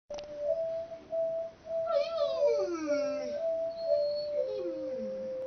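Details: A mastiff sings along in a messy kids room while Mary Had a Little Lamb plays. A steady musical note runs throughout, and the dog adds wavering, falling howls in the middle and again near the end.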